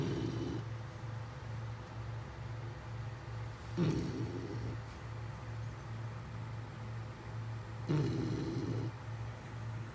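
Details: Beagle snoring: rough, noisy breaths about every four seconds, each lasting under a second, over a steady low hum in the background.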